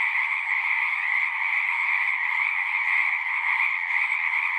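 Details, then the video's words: Many frogs calling at once, producing a continuous high, buzzy trill with a slight pulsing texture and steady loudness; nothing else is audible. "One hour of singing frogs."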